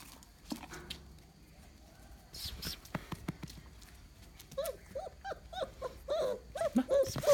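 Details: Mudhol Hound puppies from a litter born 11 January 2019, meeting their family and an excited Great Dane for the first time. After soft noises, a run of short, high, arched whines quickly repeated over the last few seconds, with people talking.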